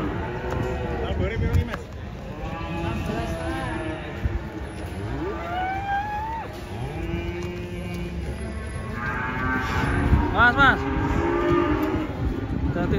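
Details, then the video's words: Angry bull lowing as it escapes while being unloaded from a truck at Ponarawang cattle market, Indonesia; drawn-out rising and falling moos, loudest near the end, over background music, shouting people and vehicle noise. "AWAS BANTENG NYA NGAMUK LEPAS TURUN DARI TRUK"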